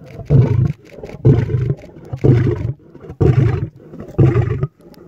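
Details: Lion roaring in a series of deep, grunting bursts, each about half a second long, repeated roughly once per second with short quiet gaps between, the energy heavy and low.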